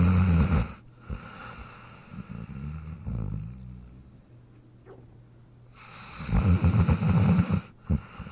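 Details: Jack, sleeping in his dog bed, snores loudly and raspily at the start, breathes softly and wheezily for several seconds, then lets out another long rattling snore.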